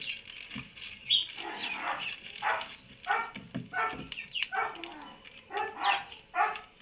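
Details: Donkey in a barn on 30 March 2019, around midday, braying in a rhythmic series of harsh, harmonic-rich bursts roughly every half second, alternating rougher and clearer notes, with small birds chirping faintly behind.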